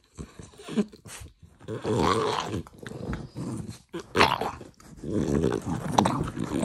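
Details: Pet French Bulldog at feeding time making a string of harsh, breathy growling grunts and snuffles in uneven bursts, each lasting a second or so, separated by brief pauses.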